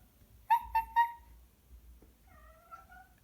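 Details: Cat making funny noises: three short, clipped chirping meows in quick succession, then a pause and a thin, wavering trill that holds steady for nearly a second, all in a quiet indoor setting.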